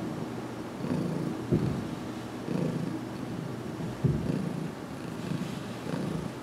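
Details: Heidi the cat purring while receiving a head massage, filmed in a closet in June 2019 about two weeks after arrival; low throbbing purr rising and falling in waves roughly every second and a half, with soft touches.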